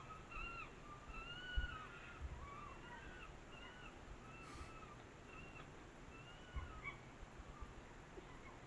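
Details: Red foxes quarrel at a feeding spot baited with seeds and bread, in forest above Grasse, Préalpes d'Azur, in cold early-October autumn. They trade thin, wavering whines and squeals that rise and fall over and over; foxes do this all night.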